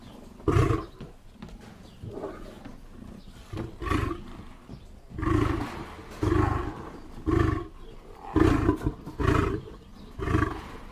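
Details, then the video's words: Lion roaring in a series of deep, booming grunts, about one each second, each burst short and low-pitched with quieter breathy gaps between them, trailing on to the end. "lion sounds"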